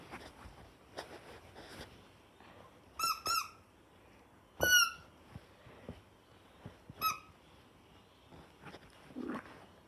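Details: A small female toy poodle gives short, high, squeaky yelps and barks in scattered bursts.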